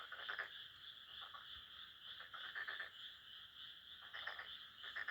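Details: Frogs calling at midnight in a rice paddy near a house, in season; bursts of rapid rattling pulses repeated every second or so over a steady high-pitched background hum.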